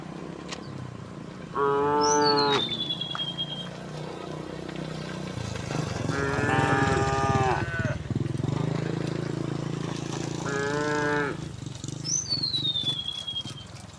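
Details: Tame cows driven home to the pen along a quiet village road each afternoon; three moos spread over fourteen seconds against a constant low rumble, with short falling bird whistles after the first and last.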